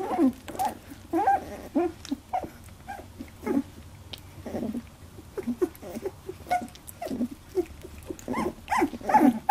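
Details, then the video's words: Labradoodle puppies, 18 days old, in their first fight over milk: scattered short squeaks, whines and grunts from several pups, uneven and overlapping, with soft shuffling between. "Labradoodle puppies 18 days 1st milk fight"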